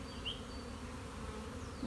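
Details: Swarming honey bees, a keeper's own colony, recorded March 26, 2021, while standing near the swarm: a continuous low humming buzz with one faint bird chirp.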